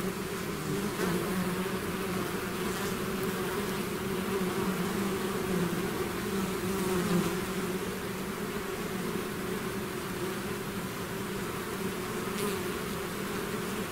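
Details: Bees swarming out of their hive produce an unbroken droning hum, two steady pitched bands under a hiss of wingbeats, with a few brief nearer fly-bys.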